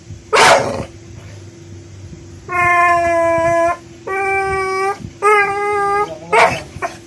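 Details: Bentley, a one-year-old American Bully, frightened and annoyed by a little pink umbrella during play: a sharp bark, then three drawn-out harmonic whining howls, and another sharp bark near the end, over a steady low hum.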